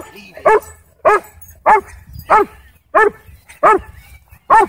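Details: A sheriff's K-9 Belgian Malinois at a dog park in Texas, aggressive toward a person: sharp, harmonic barks repeated evenly about every 0.6 seconds over faint background rumble.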